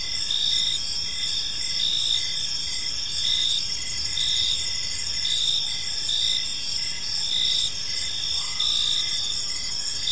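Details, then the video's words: Crickets chirping in a peaceful park as evening unfolds: a dense, steady high-pitched chorus of overlapping trills, layered in several bands, running continuously with slight pulsing, over a low rumble of background noise. "Park Serenade: Cricket Sounds in a Peaceful Park | Evening Ambience"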